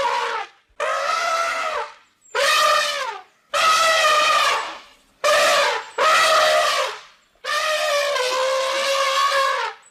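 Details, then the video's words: Savanna elephant trumpeting again and again, seven blaring harmonic blasts of about one to two seconds each, separated by brief silences, some bending downward at their ends. "Som De Elefante | Elefante Savana | Barulho De Elefante | Elephant Sound"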